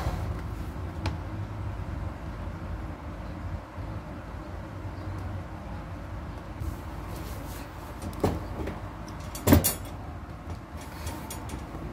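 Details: Indoor room noise with cupboard or door clatter, a rumbling vehicle and a few sharp knocks, with no animal voice heard.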